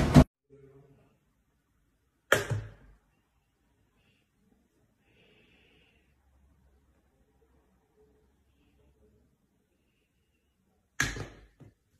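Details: Three sharp whooshing impacts separated by long stretches of near silence, with a brief faint murmur between them and no animal sound.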